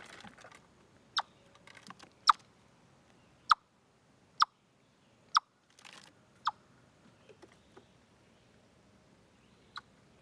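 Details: Chipmunk at Deer Trail, 27 August 2013, picked up by a live-stream camera: sharp, dry clicking chips repeated about once a second, around eight in a row with one trailing chip, over faint rustling and low background hiss.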